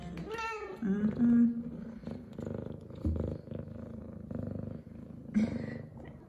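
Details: F2 Savannah cat Zara, a female pet, happy and excited after her morning shower: a rising-falling meow with bright harmonics opens, then steady low purring with short chirps, a second meow near the end, and a woman's soft voice.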